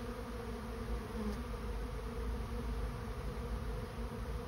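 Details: Massed honey bees of a swarm moving into a trap: an unbroken low humming drone, steady in pitch and loudness throughout.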